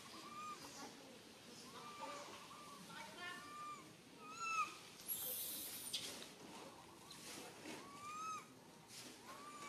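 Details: Stuck alone on a tall tree, a tiny baby monkey cries fearfully for its mother, repeating short bent whistles every second or two, with a loud rustling swish around the middle.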